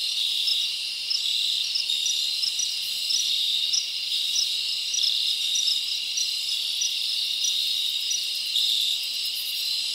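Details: Crickets chirping at night in a summer forest, a dense steady high-pitched trill with short bright pulses repeating above a continuous shimmering drone, no other animals clearly heard.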